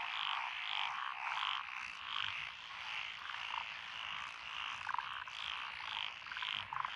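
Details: Frogs calling in lotus rice paddies of Echizen, Fukui Prefecture, Japan, on 12 June 2021, a mix of tree, pond, wrinkled and green tree frogs. A thick wall of rapid croaking with brighter rhythmic notes rising and falling, plus a few sharp clicks.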